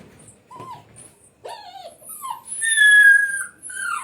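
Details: Indian pariah dog puppy, recorded on 11 July 2025 at 8:05 pm: thin, high whimpers that bend downward, then a long, steady, piercing whine, with a woman talking softly nearby.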